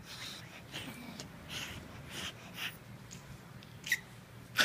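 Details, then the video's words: A Bull Terrier puppy makes a "Tasmanian devil" noise: breathy, snorting, hissy sounds in short irregular bursts, with a couple of sharp squeaks. "Bull terrier puppy making Tasmanian devil noise"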